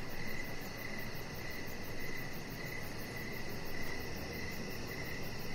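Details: Crickets heard in the evening from a lit outdoor deck. Even, high-pitched chirps pulse in a regular beat against a steady low-frequency rumble.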